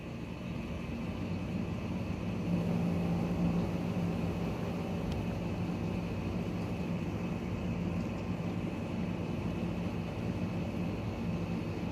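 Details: A low vehicle rumble dominates an urban street, with a steady engine hum and no animal voices.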